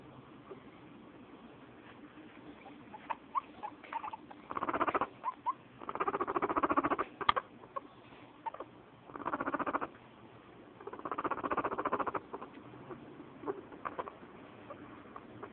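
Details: A female guinea pig, whom the owner suspects may be pregnant, purrs when happy in low, buzzy, vibrating bursts about a second long, separated by short pauses.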